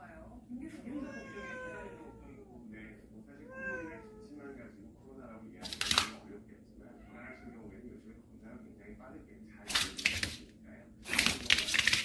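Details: Cats from a storage-shed family that have come indoors: a run of clear, rising-and-falling harmonic meows in the first five seconds, then bursts of rustling and scraping noise with faint talking indoors.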